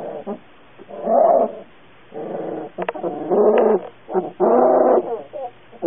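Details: A cute puppy making drawn-out, tonal whining cries in several loud swells about a second long, separated by quieter gaps with soft short yips.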